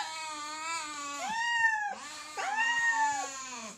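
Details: Two hungry cats meowing while fighting for food: long, whining meows that swell and bend downward, followed by a second overlapping cry rising then sagging, with steady background hiss.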